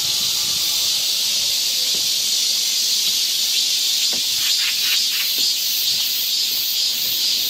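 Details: Cicadas on a summer forest trail in Seoul, Korea, produce a loud, unbroken high-pitched buzz; a short run of light clicks or taps breaks in midway.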